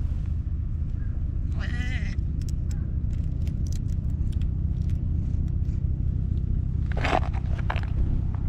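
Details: Hoarse-voiced orange tabby cat, a stray, approaching to be petted, recorded on a GoPro: one raspy, harmonic meow sliding downward near two seconds, then a noisy rasping burst around seven seconds, over steady low rumble.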